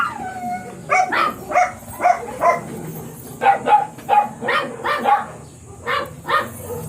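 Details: Miniature Pinscher barking at a Manaoag kennel one morning, home of the blue mini pinscher Ziggs: about a dozen quick, high yapping barks in an uneven run, with brief pauses.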